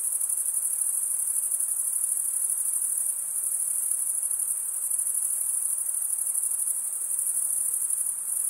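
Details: Crickets chirping at night in a summer forest: a dense, continuous, very high-pitched trill that holds steady and unbroken throughout, with no other sounds heard.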